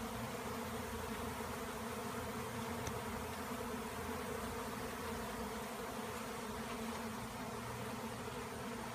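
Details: A frenzied swarm of honeybees, freed by a tree cutout, begins landing on a branch and running down a log. A continuous thick buzzing drone, even and unbroken, fills the whole stretch.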